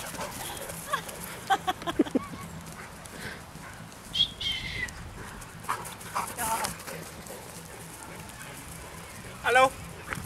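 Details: Playful Great Danes in Ventspils, Latvia, on 6.9.2015 give short high whining yelps, in scattered bursts, during rough play. Paws scuffle, and women's voices in Finnish call out over the dogs.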